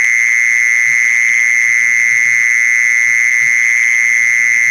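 A mole cricket's steady, unbroken high trill, played as a lure to draw mole crickets in.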